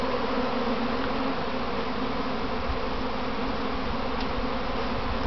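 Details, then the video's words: Domestic honey bees swirling in a practice swarm before going back home to their box; thick continuous buzzing hum, a nearby bee briefly louder midway, nothing else heard. "Inside a Honeybee Swarm"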